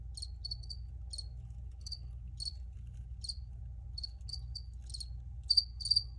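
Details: Crickets give sharp high chirps spaced roughly every half second, some doubled, with two louder close chirps near the end over a faint low hum.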